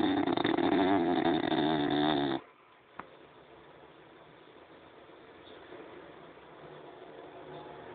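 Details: French Bulldog snoring: a loud, rough, buzzy rasp for just over two seconds, then an abrupt stop into quiet room hiss with one sharp click.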